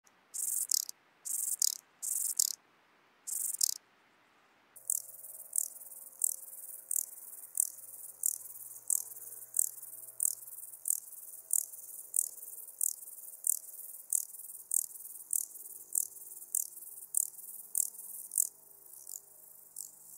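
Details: Large banded grasshopper in Muhrtal, Austria, on 9 October 2020, heard through an ultrasound detector; four broad high bursts open, then sharp dry clicks repeat about every two-thirds of a second, with faint low background hum.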